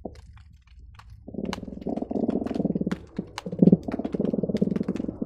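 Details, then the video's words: Croakers heard by hydrophone beneath the Marina Drive bridge, Long Beach to Seal Beach, on an especially busy day: a deep underwater rumble gives way to a dense, nearly continuous chorus of low rattling drum pulses, dotted with sharp clicks. "Seal Beach croaker sounds"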